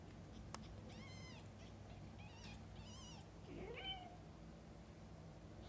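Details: Mother cat and newborn kittens: quick, high, harmonic-rich mews in short bursts, then one lower, rising and falling meow near the close, over a faint constant hum.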